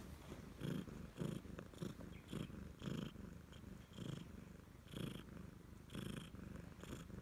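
A Siamese cat gives a deep, continuous purr. The rumble swells and fades in quick, regular pulses with each breath, close and soft in a quiet room.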